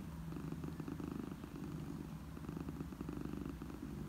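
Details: Mother domestic cat purring, offered as a soothing sound for orphaned kittens: a continuous low, rumbling purr with steady rapid pulsing and even loudness throughout, plus faint soft steady tones underneath.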